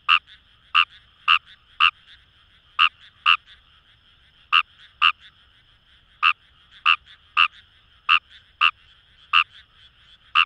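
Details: Paddy-field frog Fejervarya kawamurai recorded in rice fields by the Kamo River, Itoshima, Fukuoka: sharp rasping croaks, often paired, spaced unevenly against a steady background chorus of frogs.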